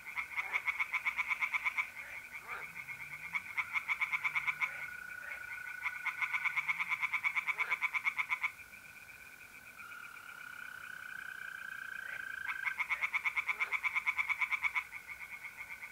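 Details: Tree frogs sing at a pond on a mid-April night in North-East Italy. Bursts of rapid, rattling pulses last several seconds, separated by short pauses. Mole crickets trill steadily beneath them in a smooth, continuous tone.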